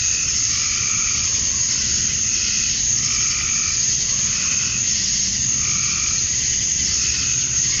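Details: Summer-dusk cicada chorus outdoors in Georgia, USA, males calling to attract females; a steady shrill hiss-like drone fills the air while lower throbbing pulses recur every second or so.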